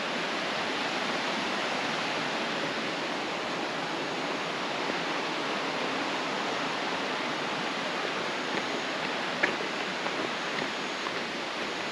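Steady rushing roar of falling water fills the whole recording, with no animal calls standing out.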